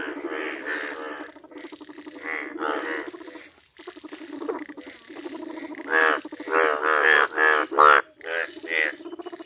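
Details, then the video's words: Yellow frog croaks: a soft, fast-pulsed rattling stretch, a brief lull, then louder nasal, bleating croaks bunched closely together toward the end, with several callers overlapping. "Yellow 🐸, زرد مینڈک"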